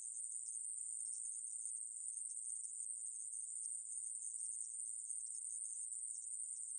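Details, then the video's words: Short stretch of the conehead katydid 애매부리, 2020, National Institute of Biological Resources, Korea: a constant high, hissing trill with faint flickers in its texture and nothing else audible. "애매부리, 여러번 듣기, 곤충소리"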